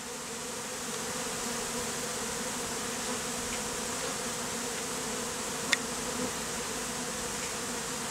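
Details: Honey bees forming a beard on a man's face, freshly removed from a statue, in heat; smooth unbroken droning hum with one faint click.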